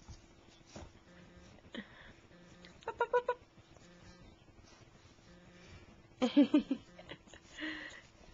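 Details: Puppies, young females, playing together in a living room; two quick clusters of short, rapid, grunting yips with a softer burst between, each cluster lasting under a second, over faint room noise.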